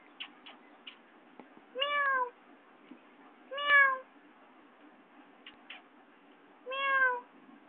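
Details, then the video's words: Babar, a pet cat, gives three loud, bending meows with a rising-then-falling tone, spaced irregularly over several seconds, with light clicking noises in between. "BABAR CAT"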